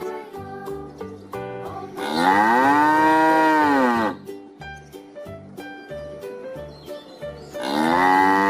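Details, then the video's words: Farm cow lowing in a long moo that rises and then falls over about two seconds, with a second moo starting near the end, over a light, bouncy children's tune with plucked notes. "SUARA SAPI Moo|SUARA HEWAN TERNAK|Cow moo sound effect"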